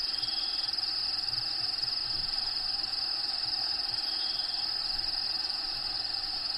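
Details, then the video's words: Crickets inside a bearded dragon vivarium, with natural habitat sounds playing in the background: a steady, unbroken high-pitched trill runs through the whole stretch over a soft even hiss. "RELAXING SOUNDS CRICKETS LOCUSTS"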